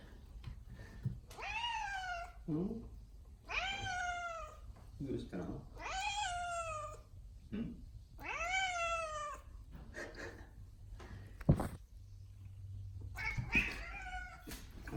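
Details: Odeko, a pet cat indoors, calls repeatedly as if pleading for something: five or six long, arching meows spaced about two seconds apart, with a short lower chirp between and a person's quiet voice near the end.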